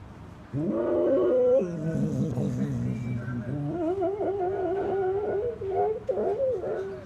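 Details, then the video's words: Pet dog howling along with the repeated sound of an old newspaper collector lorry; a wavering howl that drops low and growly, then climbs back into a warbling, unsteady tone. "Dog Howling/Singing At Old Newspaper Collector Sound"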